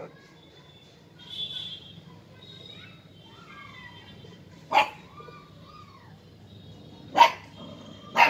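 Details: Fifty-day-old Siberian husky puppy named Alpha, playing with and fighting a toy monkey; gives soft, thin whines that rise and fall, a faint squeak, and sharp knocking thumps from the play against low background hum.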